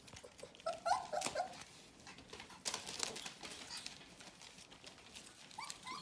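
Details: Four-week-old Bohemian Shepherd puppies from the F litter, indoors, giving short high whimpers in two bursts, one early and one near the end, over soft tapping and patter.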